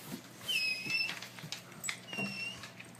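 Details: Pet dog indoors being scolded by its owner for eating a pizza box; high, thin whistled whines that glide slightly downward in two drawn-out bouts, with faint taps and human voice around them.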